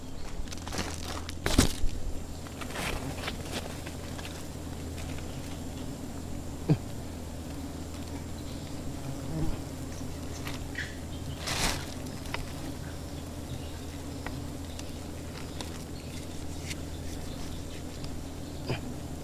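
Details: Swarm of giant honey bees, Apis dorsata, around their wild nest high in a tree: a continuous low buzzing drone throughout, broken by scattered clicks, rustles and brief handling noises.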